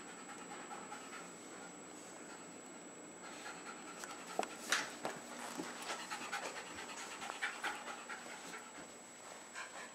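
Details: Young Jack Russell Terriers Jasper and Jaclyn, a little over three years old, indoors at home in Lenexa, Johnson County, Kansas, late February 2011; quick rhythmic panting about three breaths per second, breathy and airy, with a few sharper bursts midway.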